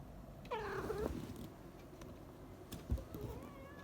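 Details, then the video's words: A female pet cat meows indoors in the morning. One short, soft meow lasts about half a second and bends slightly in pitch. Quiet room noise follows, with a faint tonal sound near the end. "Meowing ハッピーの鳴き声"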